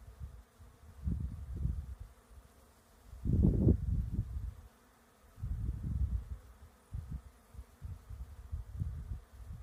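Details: Bees foraging over a lavender field, several separate low humming passes, one loud close buzz in the middle, with brief quiet gaps and gentle rustle between flybys.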